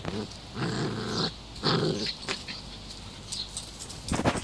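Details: Female Standard Schnauzer puppy, 11 weeks old, worked up over a bird feeder, giving two rough growling bursts early on, then quieter rumbles and a sharp noisy burst at the end.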